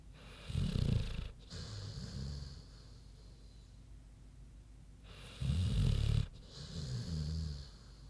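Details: Queenie, a big sleeping pig, snoring: two deep, rattling low snores about five seconds apart, each a loud grating inhale followed by a softer rumbling exhale, with quiet breathing between.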